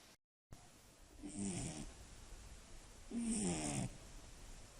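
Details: Sleeping Scottish Fold cat snoring at night: two rough, rattling snores about two seconds apart, each with a hissing high edge, after a brief moment of silence.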